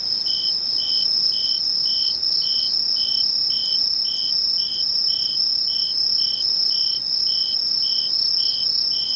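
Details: Late-summer insect voices at Mishō, Ainan town, Japan, 21 August 2011: constant piercing high-pitched trill with evenly spaced lower pulses about every half second, steady and uninterrupted.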